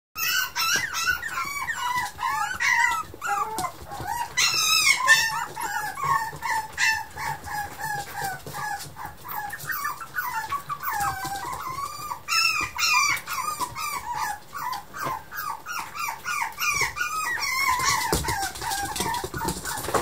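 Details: Yorkshire Terrier puppy, the smallest of three siblings and the eldest female, giving high, wavering whines and squeals that rise and fall in pitch, repeated almost without pause for twenty seconds.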